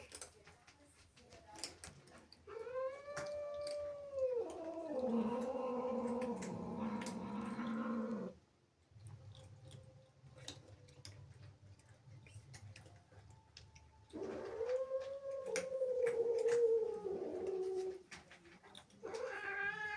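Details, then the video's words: Angry female cat, jealous of playful kittens that sneaked into the house, giving drawn-out wailing yowls that rise and fall, followed by a lower growling stretch, a quiet pause, then another long moaning yowl, with faint clicks and rustles. "Angry cat makes incredible sounds"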